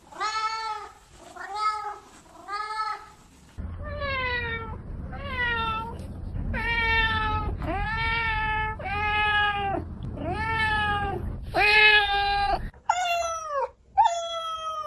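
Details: Domestic cats meowing: a string of clear, harmonic meows, some short and steady, others rising then falling, given about once a second, with varying pitch suggesting several cats, over a low background hum.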